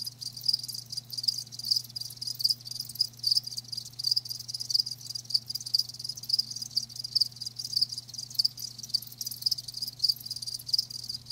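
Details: Live crickets produce a steady high chirring, with clear regular chirps about every half second standing out over a continuous insect hiss and a faint low hum.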